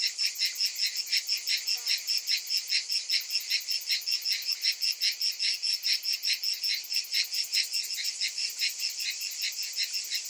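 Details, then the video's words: Cicadas singing in summer, a dense high buzzing chorus that throbs in steady pulses about two or three times per second, with a bright hiss layered above; no other sounds stand out. "Cicadas in Summer"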